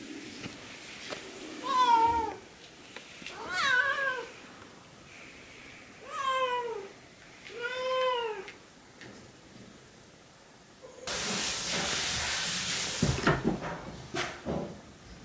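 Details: Yozora, a noisy female Siamese cat indoors, howls to be helped getting her blanket down from the cat-tree or to have it hidden for fetching; four drawn-out, wavering, harmonic meows about two seconds apart, then a burst of rustling noise.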